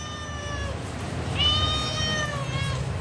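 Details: A domestic cat answers a person during a back-and-forth conversation with two clear, harmonic meows. The first is short and steady. The second starts high and bright, then eases downward. Low background rumble throughout.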